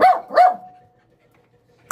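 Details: Small female dog during aggression training, giving two sharp, loud barks in quick succession about a third of a second apart, then near silence with a faint lingering tone and a brief click at the end.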